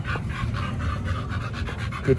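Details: Dogs Oliang and Nomyen at a dog hotel before a raw meal of pork and chicken: fast, steady breathy panting, about four huffs a second, with brief human praise at the start.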